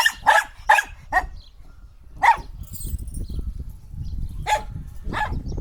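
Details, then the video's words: Shetland sheepdog giving four rapid high barks, then a lone bark, then two more spaced barks against steady low rumbling noise. "Sheltie Barking Sound Effect | Sheltie Dog Barking"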